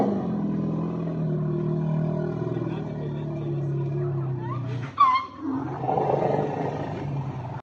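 Asian elephant giving a long, deep rumble, then a brief, sharp, rising trumpet-like blast.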